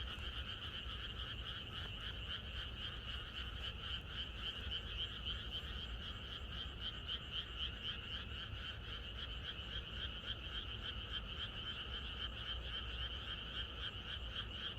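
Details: Many frogs in a rural setting croak together the night before rain, their rapid pulsing calls merging into a continuous buzzing chorus for the whole stretch over a low steady rumble.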